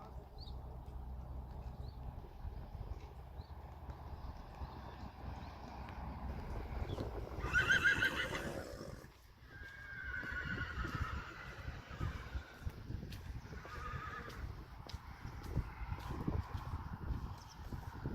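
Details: Friesian horse foals at weaning, being separated from their mothers: a loud, quavering whinny peaks midway, followed by fainter distant neighs, amid hoof clatter, low rumbling noise and a person speaking names.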